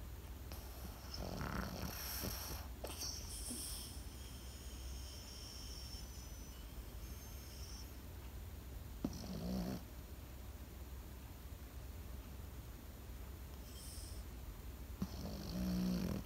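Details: A sleeping Pekingese dog snores: rough, breathy snorts in a cluster early on, then single snores around ten, fourteen and sixteen seconds, with quiet low breathing and a steady low hum between them.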